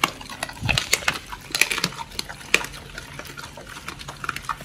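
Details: Pit bulls Oli and Nommy eat raw food, including giant white snapper, on a raw-feeding diet, recorded October 21, 2023. Sharp, crisp crunches and wet clicks come in irregular bursts, with a few louder snaps.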